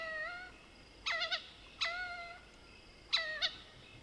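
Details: At night in the Soutpansberg range, South Africa, a Mohol's bushbaby gives short mewing cries with level, slightly wavering tones, some doubled with quick clucks, three bursts in four seconds over a low insect hiss.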